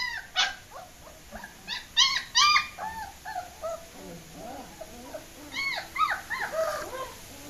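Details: German Shepherd puppies escaping, several pups whining together: high, arched whimpers and yelps overlapping in quick irregular bursts, some sharper squeals standing out near the start and end.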